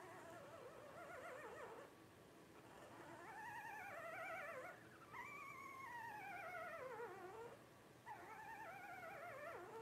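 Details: Five blenheim Cavalier King Charles Spaniel puppies, 12 days old, a litter of two girls and three boys born on New Year's 2023; wavering high whines and squeals with warbling harmonics, several long falling cries, over a quiet indoor background.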